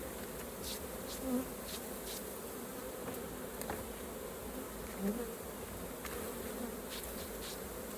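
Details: A hive of honey bees during raw honey harvest fills the air with a constant low buzzing hum, individual bees passing close now and then, with scattered soft clicks from handling.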